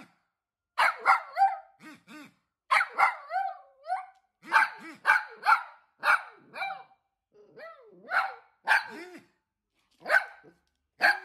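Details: Dachshund, a pet wiener dog, barking repeatedly in clusters of two or three sharp, harmonic yaps with brief gaps, some barks sliding downward into short whiny tails, continuing steadily across the whole stretch.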